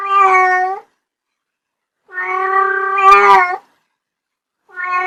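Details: Loud, close pet kitten meows in succession: a short one, a longer drawn-out cry with a small click in the middle, and the beginning of another, in a quiet indoor setting.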